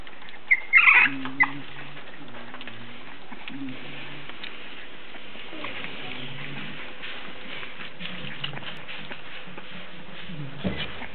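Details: English Bulldog puppies almost four weeks old, from a litter of three males and one female, give a brief squeaky yelp, then soft low whimpers and grunts.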